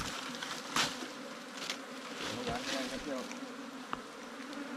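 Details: Wild ground-nesting bees, small cavity bees that nest in underground holes or termite mounds, disturbed as honey hunters dig out their nest: a steady low droning hum with a few sharp knocks and scraping sounds.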